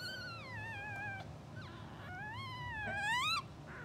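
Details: Newborn English Bulldog puppy, two hours old, from a blue sable litter, sleeping and dreaming: drawn-out, nasal whines sliding downward, then a longer rising cry that breaks off abruptly, against a constant low background hum.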